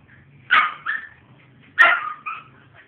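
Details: Pet pit bull recovering from mange, giving two short bark pairs, each a sharp bark followed by a softer one about half a second apart. Faint low background sounds throughout.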